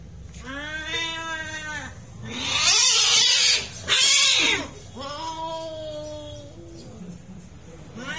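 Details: Fighting cats trade a tense, quavering yowl, then two fierce breathy hisses back to back, followed by another strained howl that trails off into low grumbling.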